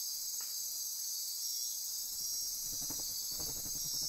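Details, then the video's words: Insects calling at midnight in Costa Rica's Osa Peninsula rainforest by Corcovado National Park: a high, unbroken trilling drone, with soft low rhythmic pulses beneath it in the final second and a half. "Midnight Insect Chorus"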